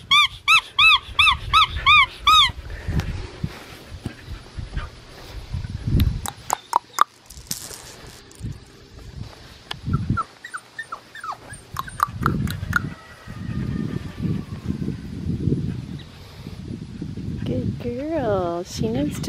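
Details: Red merle female Australian Shepherd puppy, five weeks old, at Fifteen Acre Farms in Oklahoma, recorded Monday, August 3, 2020, outdoors. Opens with a quick run of high, squeaky, harmonic whines, then rustling, knocks and thumps, with a few faint squeaks later.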